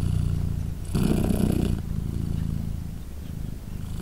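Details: Deep, even purr from Polina, a British Shorthair mother cat nursing three newborn kittens aged three days; low rumbling pulses with one louder breathy swell near the one-second mark.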